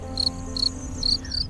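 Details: Male cricket stridulating by rubbing its front wings together, a sound made to attract females, mark territory or warn of danger; four short, bright, high chirps spaced roughly a third of a second apart over soft background music.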